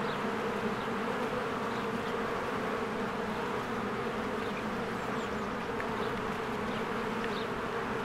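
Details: Spring honeybees working at their hive, swarms passing in and out; a steady, rich buzzing hum of many insects, overlaid by scattered thin bird chirps.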